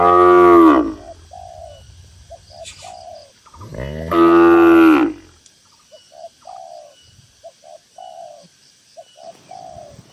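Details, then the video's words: Dozens of tame cattle gathered in a farm pen in a rural village setting; two long, loud, deep harmonic moos several seconds apart, with soft repeated dove coos filling the gaps between them. "Suara Moo Moo Sapi"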